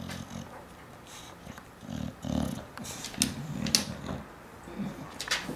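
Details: Chainsaw the bulldog at home in Studio City, growling while holding onto something as a person repeatedly tells him to give it up; low rumbling growls come in uneven bursts, with sharp clicks and a quiet voice in between.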